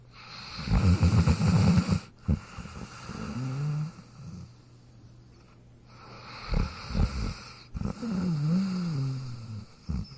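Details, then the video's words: Sleeping dog snoring, rough low rasping breaths in bursts with gaps of quiet, a whiny nasal tone wavering on some exhales, and a steady low hum underneath. "Dog Snoring Sound Effect"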